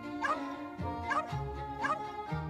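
A domestic dog gives three short, sharp barks about a second apart over background music.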